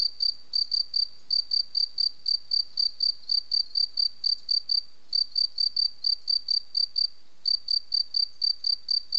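A cricket sings steady, high, pure-toned chirps, about four each second, with brief pauses.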